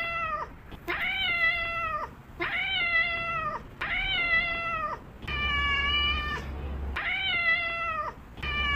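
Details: Domestic cat meowing insistently, seven bright, drawn-out cries in under nine seconds, each level then falling at the end, with brief gaps and a low hum behind some.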